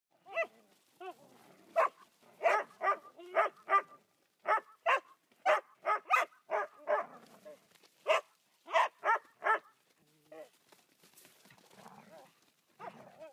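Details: Podencos at play giving a run of sharp, bright barks, about two each second in an uneven burst, then a pause filled with softer whines and quieter yaps.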